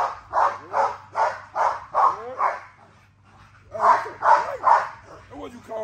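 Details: Female XL American Bully barking eagerly while being exercised, full of drive; six sharp barks in quick succession, a brief pause, then three more barks and some fainter yips, with a low steady hum beneath.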